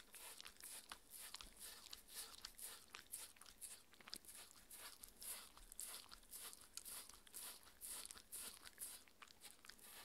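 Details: Raw beef dinner eaten by Mindy, a six-year-old Shetland Sheepdog bitch: steady crisp bites and wet chewing about twice a second, unbroken throughout.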